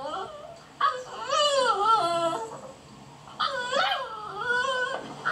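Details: Beagle puppies outside wanting attention: long harmonic whines and cries sliding up and down, two drawn-out bouts separated by a quieter pause, voices overlapping.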